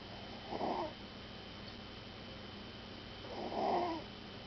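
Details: Puppy snoring in sleep, two hoarse, airy rasps about three seconds apart, each swelling and fading within half a second, over a quiet indoor hum.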